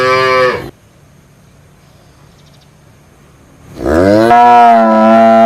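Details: Cow moo: the loud tail of one call breaks off into a quiet pause. A second deep moo then rises in pitch and holds strongly for nearly two seconds.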